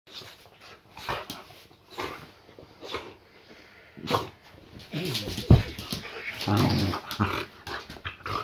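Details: Boxer named Layla greeting her owner as he returns home, indoors: rough, low growling grunts and harmonic snarling bursts in the second half, with scuffling and brief human voice between.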